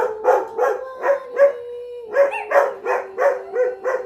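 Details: Domestic dogs barking in a quick run of about eleven short, harmonic barks, roughly three per second, with a brief held howl-like tone in the middle and a yipping, slightly rising bark near the end.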